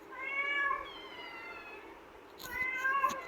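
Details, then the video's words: Kitten arguing to come out of its cage: two insistent meows, the first long and wavering, the second after a pause with a soft click, both clear over a quiet indoor background. "Pavi kutty is arguing with me to come out of the cage"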